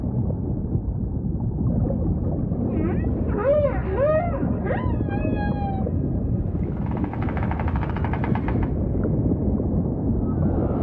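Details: Humpback whale singing amid rumbling water: a quick series of short rising-and-falling chirped units, then a few clear, level, harmonic tones, and a burst of rapid buzzy pulses toward the end.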